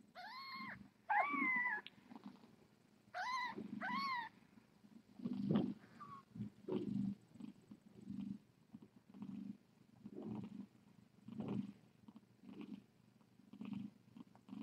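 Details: Domestic cat at the Tiny Kittens Society rescue, on a live-streaming cam during a late-night visit with Tip: a few high, arched mews open, then a low rumbling purr pulses in steady bursts roughly every second.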